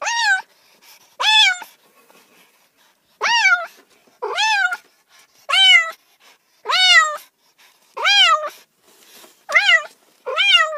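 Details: A house cat meows insistently, around ten short upward-swooping calls roughly one second apart, bright and harmonic with quiet gaps.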